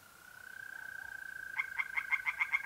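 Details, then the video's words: North-east Italian pond at night in mid-April. A steady mole cricket trill gives way to a tree frog starting a string of sharp, evenly spaced croaking pulses, several per second, that continue to the end. "relaxing singing tree frogs in pond and trilling mole crickets by night"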